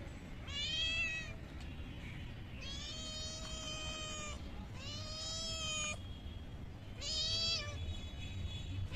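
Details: Stray kittens given raw fish from a pond give four loud meows in a row, each a clear, sustained wail lasting about a second, spaced roughly two seconds apart over steady background noise.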